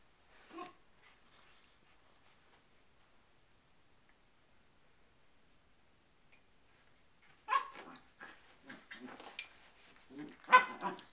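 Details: Poodles with cabin fever indoors: a lone short yelp near the start, a long quiet stretch, then a burst of sharp, broadband barks crowding the final four seconds.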